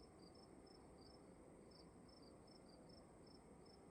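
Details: Crickets chirping in a room: brief shrill chirps from two callers alternate and overlap, a few per second, above soft constant background noise.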